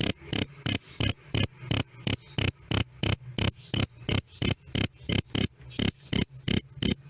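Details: A cricket's loud, clear "krik krik" for songbird tutoring: crisp high chirps at nearly three per second, one brief gap midway, and a faint low hum in the background.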